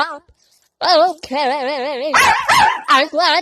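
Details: Angry Chihuahua giving loud, wavering growl-barks in quick bursts, each a quavering, vibrato-like yowl with strong harmonics, separated by short gaps and rougher, noisier yaps.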